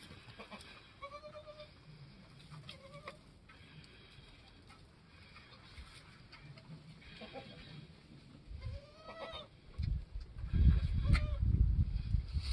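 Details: Newborn goat kids, a doeling and a buckling, on a homestead within their first hour or two after the herd queen gave birth. Several short, high, wavering bleats come in separate bursts, with low rumbling handling noise growing louder toward the end.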